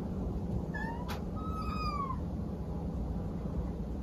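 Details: Domestic cat indoors giving two tonal meows: a short, slightly rising one, then a longer drawn-out cry that holds steady before sliding downward at the end, over a low steady background hum.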